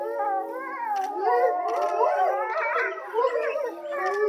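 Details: Grey wolves howling together at Tama Zoological Park around 3 pm. Several drawn-out voices overlap in a wavering, tangled chorus, pitches sliding up and down, with brief sharp yips interrupting and the howling easing off toward the end.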